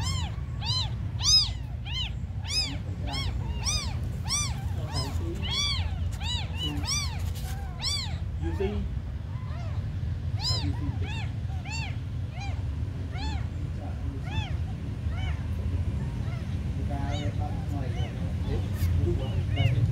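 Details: Abandoned kittens, described as very small, meowing urgently: quick rising-falling cries packed closely together for twenty seconds, fading slightly mid-way, with a low background hum.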